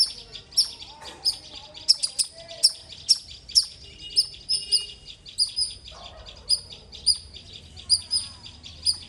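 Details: Squirrel giving loud, sharp, high chirps repeated about twice a second in a steady series, each a short bright note with a faint higher overtone; soft background noise and a brief low murmur near the end.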